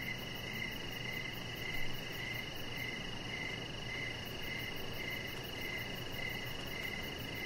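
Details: Outdoor evening crickets on a deck, rhythmic chirps pulsing about twice each second at a steady pitch, a soft high ticking trill above, a brief low thump near the two-second mark, and continuous background hiss.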